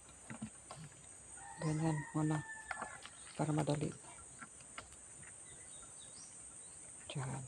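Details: Very thirsty goat on a rural provincial farm, calling out: two short, nasal, harmonic bleats near the two-second mark, a third at about three and a half seconds, with a thin whistled tone overhead and faint rustling and background noise.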